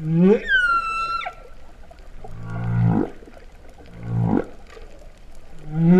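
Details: Humpback whale song recorded underwater at Vava'u, Kingdom of Tonga, in September 2015: a low moan sweeping upward, a high whistled tone held about a second, then two low rising groans building in loudness.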